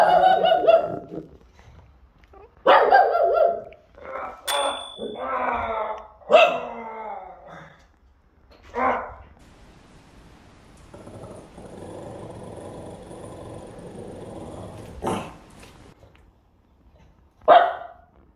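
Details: Pet Pug Puding barks at a scary werewolf mask in a Halloween prank: harsh barks come in irregular bursts, some doubled, with quieter gaps of steady background hiss between them and a final sharp bark.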